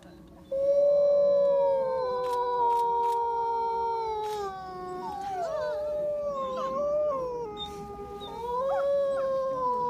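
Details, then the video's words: Wolves at Reading, UK, several voices howling together in long, sustained tones that slide slowly up and down, overlapping at different pitches, with a few short yelping breaks and some faint background chatter. "Wolfs howling"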